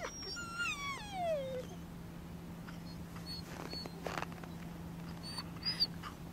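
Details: Max, a Lagotto Romagnolo aged 2 years 4 months, filmed in Helsinki, Finland, gives a long, falling whine in the first second and a half, then a few faint squeaks against a constant low hum.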